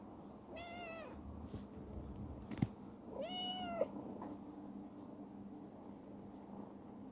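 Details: Two drawn-out meows, roughly three seconds apart, from a black female rescued stray kitten that has turned clingy and playful, kept in a warehouse; sharp knocks between calls and a low mechanical hum beneath.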